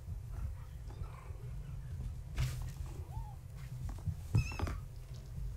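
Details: Gaia's kittens, born March 14, 2017, playing indoors at night with their tabby mother nearby: two brief, high, squeaky meows near the end, with soft bumps and a steady low hum underneath.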